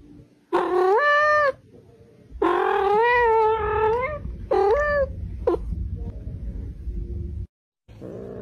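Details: Pet cat uttering long, wavering, complaining meows, one stretched nearly two seconds, followed by shorter yowls and a quick squeak, with low rumbling noise between calls indoors.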